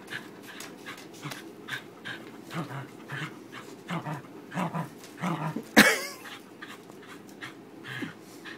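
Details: Frankie, a summer-trimmed fluffy Corgi, desperate to win tug-of-war with his new rope bone, makes rapid panting growls that build to one sharp, loud yelp-like burst, then settle into softer huffs.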